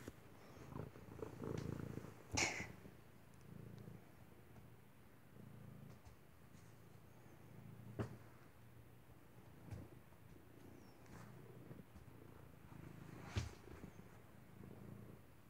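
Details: Wolfy, an unneutered male stray cat, trapped by accident during a rescue search and described as sweet and cuddly, purrs while following a person indoors: a soft, steady low rumble with scattered clicks and light handling noises.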